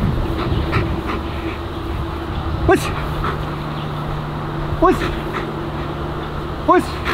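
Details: German Shepherd giving three sharp, yelping barks about two seconds apart, each one bending downward in pitch, heard over a steady low hum and broad background noise.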